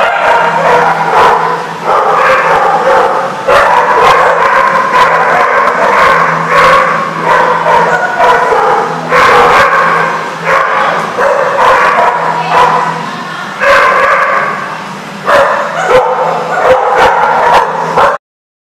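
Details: Dogs at The Barking Lot in Rhode Island, recorded 31 January 2014, barking loudly and almost without pause, overlapping yips and woofs from several animals filling the space, with a steady low hum underneath.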